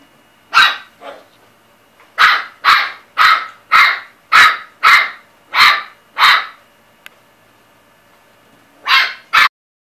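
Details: Chihuahua yapping in a steady run of about eight high, sharp barks roughly half a second apart, a pause, then two more barks.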